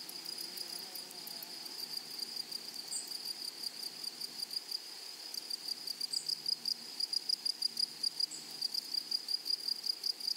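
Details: In a flowery meadow, grasshoppers produce a high, rasping trill that breaks into rhythmic pulses, several per second, growing louder and more emphatic toward the end.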